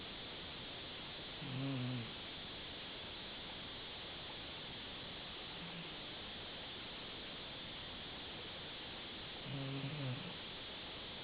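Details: Dachshund named Gigolo asleep, letting out two short, deep, rasping snores about eight seconds apart, with a softer faint breath between them, over a constant background hiss.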